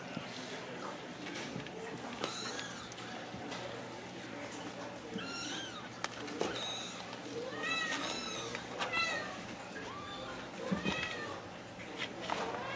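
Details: Ragdoll kittens raised indoors without cages at a home cattery in central Kansas, giving a string of high, arching mews, several overlapping and repeated in quick bursts, with a person talking softly nearby.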